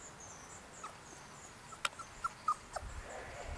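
Three-week-old Golden Retriever puppies give soft, brief, high whimpers in quick succession.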